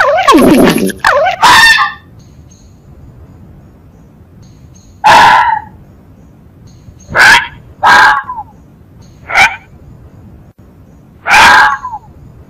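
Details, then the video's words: Fox calling, its sound known in Spanish as gañido or tauteo: a brief falling, wavering tone opens, then about six short, harsh, harmonic yelping barks come singly or in pairs at irregular gaps of one to three seconds against a quiet background. "Sonido del ZORRO"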